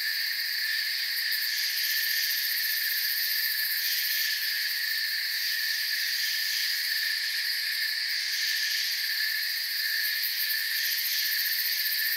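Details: Steady forest cricket chorus: countless high, shimmering trills blend into a continuous drone at several pitches, faintly pulsing in places, with nothing else clearly heard.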